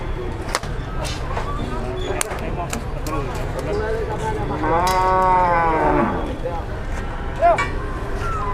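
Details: Large cattle in Indonesia refusing to climb into a truck to be taken home; one drawn-out harmonic moo rises and falls near the middle, amid continuous rumbling background noise, clatter and people.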